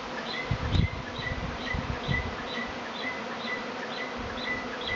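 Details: Honey bee swarm in Tasmania, which comes every year and arrived a week early; a dense, steady droning hum of many bees, with faint, regular high chirps repeating about twice a second.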